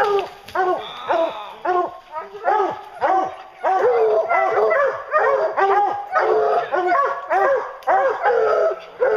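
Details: Hounds baying on a bear hunt: a steady, excited chorus of arched, harmonic bays repeated almost twice a second for the whole stretch, with several dogs overlapping.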